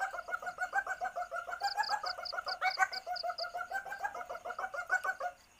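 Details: Asian palm civet in heat calling to attract a mate, recorded for luring: fast, even clucking pulses around three and a half per second, joined in the middle by a quick string of high, piping notes.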